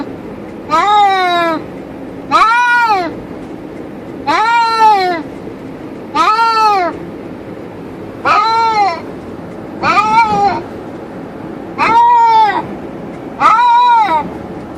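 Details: In a car travelling on the highway, two cats shut in their cage call out with eight evenly spaced, arching meows about every two seconds, each rich in harmonics, over continuous vehicle drone.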